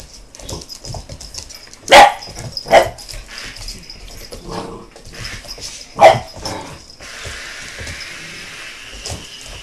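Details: American Bulldog puppy barking in reaction to a helicopter: a few sharp, loud barks around two seconds in and another near six seconds, with a person talking and calling out in between.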